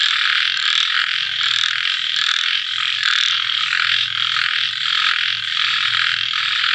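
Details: Small frogs calling after rain once the sun has set: a dense, unbroken high-pitched chorus of many overlapping croaks that pulse and swell, with a faint low throbbing underneath.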